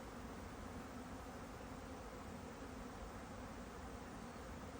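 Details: Honeybee buzzing: a steady low hum with a fainter overtone above it, unbroken for the whole stretch, over a constant broadband hiss.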